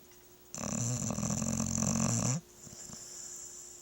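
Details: A pet dog sleeping indoors snores in one long, rough, droning breath lasting about two seconds, deep and buzzy with a steady rattling texture, then falls quiet.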